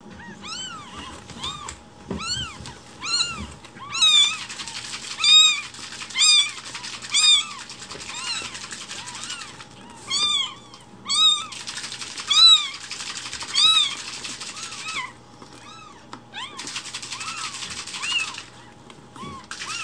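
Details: Rescued baby kittens loudly demanding their morning milk at home while it is being prepared: high, arched meows repeated about once a second in bursts, several callers overlapping, with a steady faint hum beneath.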